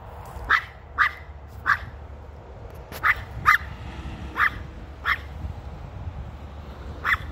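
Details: A female dog objects to something held in a man's hand. About nine sharp, clipped barks come at uneven intervals over seven seconds, some close together, above a faint low droning background.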